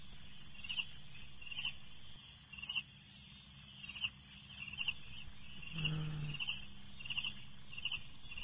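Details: Crickets at night: short high chirps repeat about once a second over a steady faint hum, with a brief low thump near the six-second mark.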